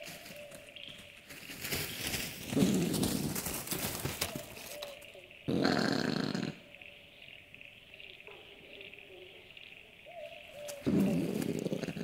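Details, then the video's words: Common brushtail possum at night in the Australian bush, giving throaty, coarse growling bursts around two and a half seconds, near six seconds and again at eleven seconds, between quieter stretches with a steady tonal hum and insect-like background. "Common Brushtail Possum Sounds - Scary growling calls and scurrying noises"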